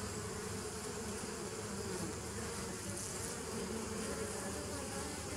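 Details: Continuous humming of many bees on 27 September 2018, a thick, even drone centred low with a bright hissing wash above, no pauses, no individual calls, level steady from start to finish.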